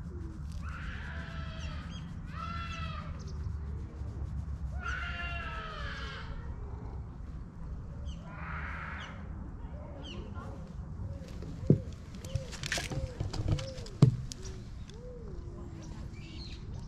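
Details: Stray cat recorded with a GoPro giving a series of meows: several higher, drawn-out wavering cries early on, then shorter, lower arched mews spaced a few seconds apart, with a couple of sharp clicks and low background hum.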